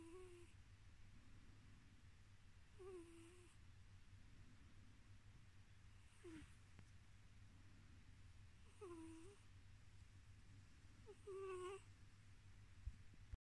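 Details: While falling asleep, male pet cat Tiz purrs in a quiet, continuous drone broken by five brief whistling nasal squeaks, each falling in pitch, recurring every two to three seconds.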